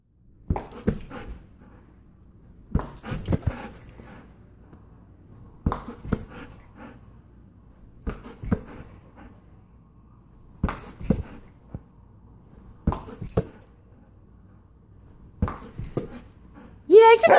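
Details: Abby, a golden retriever, playing volleyball indoors, giving short rough vocal bursts in clusters roughly every two to three seconds, with quiet gaps between; a sharp rising squeak closes the sequence.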